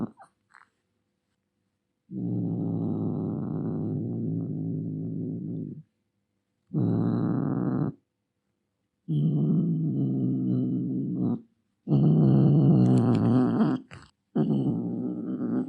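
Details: Angry cat producing long low rumbling growls in several bouts of one to four seconds. The later bouts turn rougher and more wavering, close together, with short silences between.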